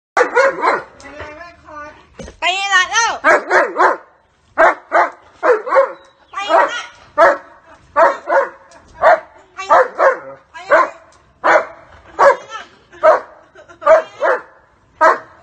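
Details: German Shepherd barking at a person who hits his owner, protecting the owner during a test: a rapid series of sharp, harsh barks about once a second, with a brief whining, wavering yelp early on.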